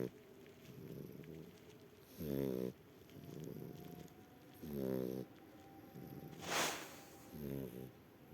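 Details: A sleeping shar pei snoring: deep, rattling, buzzy snores about every two and a half to three seconds, each followed by a softer breathy exhale, with one brief hiss of noise near the end.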